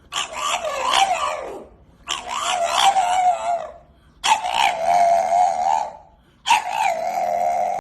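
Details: Sleeping dogs vocalising; four long wavering howl-like moans with rich harmonics, each lasting about one to two seconds, separated by short gaps.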